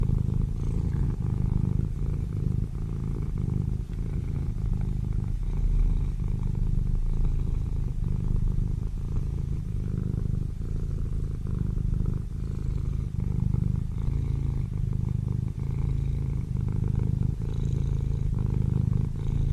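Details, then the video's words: Sleeping kittens, said to be snoring: a continuous low rumbling drone with fine rapid pulsing, steady in loudness throughout without clear breath pauses, nothing else prominent. "My kittens sleeping and snoring"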